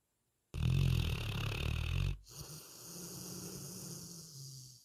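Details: Sleeping retriever snoring: a loud, rough, low rumbling inhale of about one and a half seconds, a brief pause, then a softer, steady low droning exhale.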